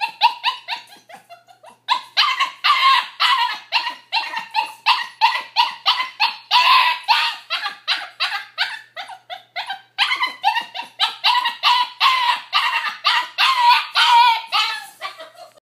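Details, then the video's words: An adopted female puppy in her pen keeps up a long chattering, monkey-like series of yappy whines, bark-like pulses two to three per second. She pauses briefly near the start and again around the middle, then carries on just as intensely. "Our puppy sounds like a monkey"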